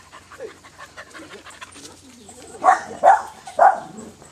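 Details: Dog about four months old; soft whimpers, then three loud, short, strained yelping whines about half a second apart, with a quiet human voice around them.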